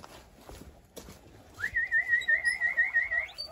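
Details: A large herd of guinea pigs answers a call with high, wavering whistled wheeks that pulse rapidly after a brief rustle.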